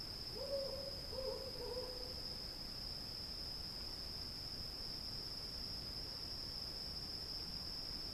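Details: Cicadas calling in a night field. A steady high, piercing drone holds without a break. Early on there are a few low hoots, a short run of three, over soft background hiss.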